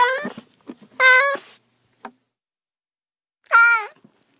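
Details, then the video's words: Cat meowing in short bursts: a quick wavering meow, a steady flat meow, then after a pause a downward-curving meow, with a few soft clicks between calls. "30 minutes of Cats' Meow"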